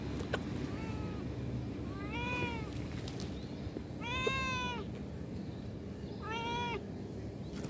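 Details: Cat giving three loud, clear meows roughly two seconds apart, each a bright bending wail, over a steady low background rumble.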